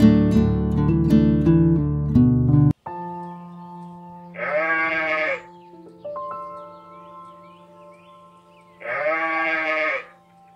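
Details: Sheep bleating: two long, wavering, nasal bleats with rich harmonics, about four seconds apart. A short burst of music opens the recording, and a steady electronic tone hums underneath throughout.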